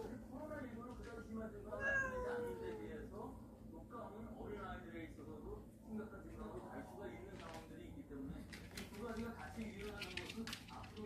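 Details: Cats from a warehouse cat family that have come into a house, giving several short rising-and-falling meows, one loud drawn-out cry near the start, over steady human talk and a low indoor hum.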